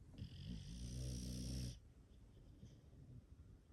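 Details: English Bulldog asleep in a home shared by five bulldogs, giving a long, loud, rattling snore with a buzzy low drone that stops abruptly, followed by quiet shallow breathing.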